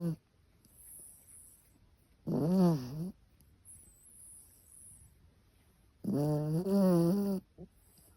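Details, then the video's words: Chihuahua snoring while asleep indoors: two long, buzzing, harmonic snores about four seconds apart, each lasting roughly a second with a wavering pitch, separated by quiet breathing. "Chihuahua Snoring"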